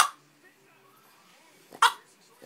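A Boston Terrier gives two brief, speech-like yowling vocalizations, asking to go to the park.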